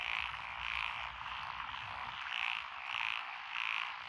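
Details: Frogs calling from lotus rice paddies in Echizen, Fukui, Japan, June 2021; a loud repeated croak sounds about every half second over a dense chorus of other frogs.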